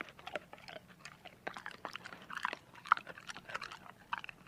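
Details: Dog eating, heard up close as quick, uneven crunching and clicking bites packed tightly together, with one sharp crack near the end and a quiet room behind.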